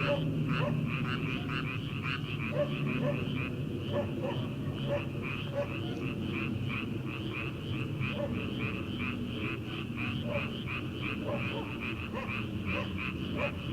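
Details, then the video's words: Frogs calling from rice paddies in early summer before rice planting, heard at night: a dense chorus of rapid, rattling croaks repeating steadily, with a deep low rumble of night air and background noise underneath. "초 여름 개구리 울음소리/ 논에서 들리는 개구리 소리"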